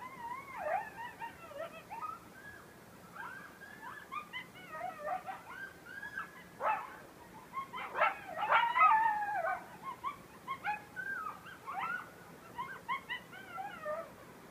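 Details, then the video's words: Coyotes howling in a front beach forest at Station 26 1/2 on Sullivan's Island, South Carolina: several overlapping wavering howls and high yips, rising and falling, in a dense chorus with sharp yelping bursts around the middle. "Coyotes howling on Sullivan's Island"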